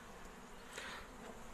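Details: Honey bees at an apiary of managed colonies in man-made hives: a continuous low hum holds steady beneath a brief faint higher rasp midway, with little other noise.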